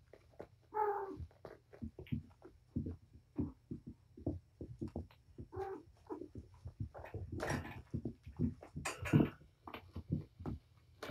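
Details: Mother cat Patience romps indoors with her five young kittens, four boys and one girl; one brief harmonic meow opens, followed by a steady patter of thuds, scratches and scampering.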